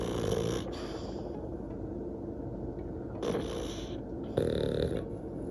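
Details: Elderly French Bulldog sisters, both 12 years old and born in 2009, resting at home on a day off; three rasping snore bursts, each about half a second, come at the start, near three seconds and near four and a half seconds, with quiet breathing between.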